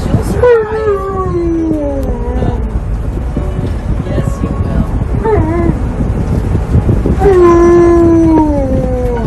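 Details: Tonka, an Alaskan Malamute riding in a car, loudly protests being made to wear a seatbelt with three long, falling, wailing howls. A person talks throughout, and music and vehicle noise play underneath.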